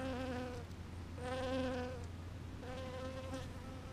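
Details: Bees foraging on purple flowers: a droning, harmonic wing buzz swells past in three passes of under a second each, with a steady low hum underneath.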